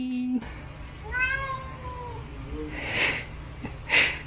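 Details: Domestic cat, rarely vocal, standing up against a kitchen fridge and pawing at it, meowing in complaint where dried sardines used to be kept; one long harmonic meow falling away, then two short sharp clicks or knocks and a woman's voice before.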